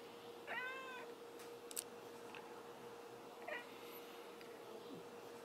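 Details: A house cat makes one clear, arched meow early on and a fainter, shorter meow about three seconds later. A constant low hum runs underneath, with a few soft clicks.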